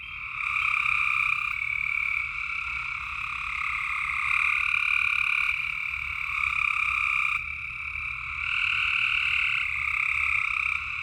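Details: Frogs calling at night in Tennessee: a dense, unbroken chorus of high trilling notes over a lower trilled band, swelling and easing with short dips near two and seven seconds, no other sounds.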